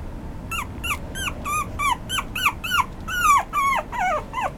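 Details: Young male toy poodle with an apricot coat letting out a steady string of high, drooping yelps, about three a second, the later ones longer and more drawn out, recorded indoors with faint background hum.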